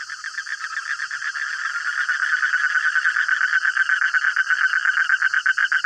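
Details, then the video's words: Frogs calling at midnight in a noisy, crowded chorus: rapid trains of rasping pulses at mid pitch, several repeats per second, over a steady high hiss. "Suara Kodok Tengah Malam"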